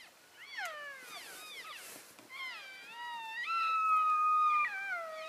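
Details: Elk calling to stay in touch with the herd while shifting between grazing areas in February 2012: loud, whistled mews that slide downward, overlapping with a long, steady, high squeal, several animals calling together.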